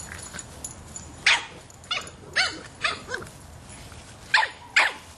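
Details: Boston Terrier puppy aged three and a half months barking at a soccer ball; six sharp, high, loud barks spaced irregularly across a few seconds, faint background noise.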